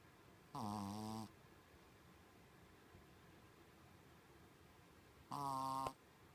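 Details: Colon, a staff-member Shih Tzu, snoring in a human-like way while asleep indoors; two loud harmonic snores about five seconds apart, each roughly 0.7 seconds long, with quiet room hiss between.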